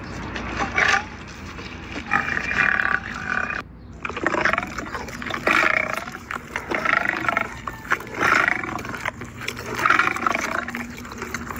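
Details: Rasping growls from a lion eating its dinner at a Ras Al Khaimah wildlife park, about six rough bursts in sequence after a short pause, with low background noise.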